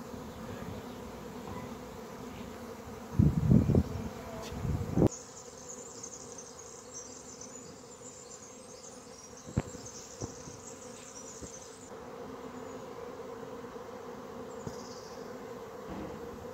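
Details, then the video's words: A huge cloud of swarming honey bees fills a square in central Pisa, Italy, shortly after 9 a.m.; a continuous low insistent drone, with a brief burst of handling noise early on. "Mi ritrovo in una enorme nube di api che sciamano"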